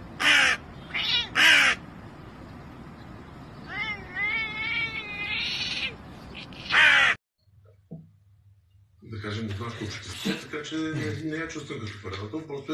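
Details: Domestic cat giving a run of wavering, harmonic meows that rise and fall, preceded by harsh screechy bursts; a person talking and mixed household noise take over afterward.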